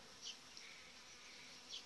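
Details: Crowded, well-developed honey bee colony with a breeding queen in a hive in July; a short burst of steady droning buzz with two soft high swells a second and a half apart.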